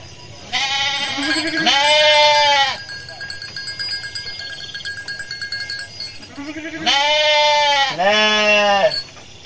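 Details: Local Pantura West Java sheep, a flock roaming rice fields for fresh grass and calling back and forth. Two pairs of loud, wavering, harmonic bleats, each about a second long, separated by a quiet gap with faint steady tones.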